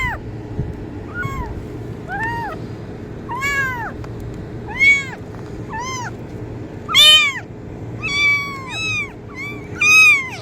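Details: Kitten meowing to attract cats: a long run of about fifteen high, curved meows, some soft and short, others loud and drawn out, coming faster and overlapping near the end over low hum.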